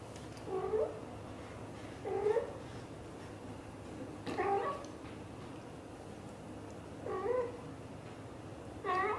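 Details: British shorthair mother cat, blue golden coat, calling to her kittens: five short, harmonic meows with upward-curving tones, about every two seconds, against quiet indoor background noise.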